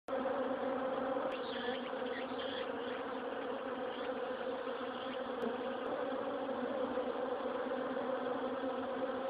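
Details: In autumn, honey bees crawl out through the wire-mesh hornet guard covering their whole hive, buzzing steadily in a dense drone of many wings with a low hum underneath.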